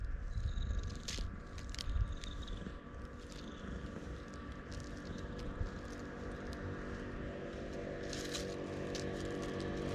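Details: Loud purring from a pitch-black stray cat found in the middle of a road on Tashirojima, Japan, while being stroked, recorded on a GoPro HERO8; a steady low rumbling throb runs throughout, with rubbing and scraping handling noises over it.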